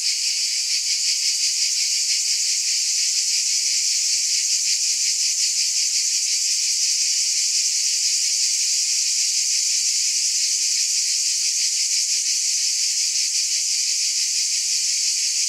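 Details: Cicadas droning together in a bright, unceasing buzz, a hiss-like sound with fine rapid pulsing that never breaks; no birds, people or music.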